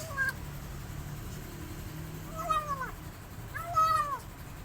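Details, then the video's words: Newly rescued male kitten mewing while eating, missing its mother cat; three high, harmonic meows, each sliding downward, the last two close together near the end, over a low steady background hum. "New Rescue Kitten Making Sweetest Sounds While Eating But He Is Missing His Mother Cat"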